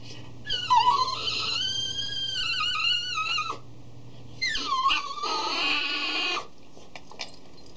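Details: Cavalier King Charles Spaniel, three years old, cries piteously while staring at his food bowl before eating; sustained wavering whines lasting several seconds, a pause, then another long quavering cry indoors.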